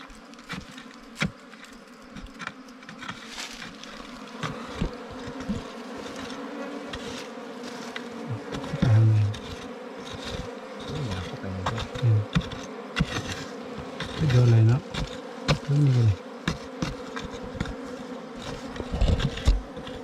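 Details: A wild bee colony being opened during a honey hunt keeps up a sustained drone, with heavy thumps and handling noise coming in bursts throughout.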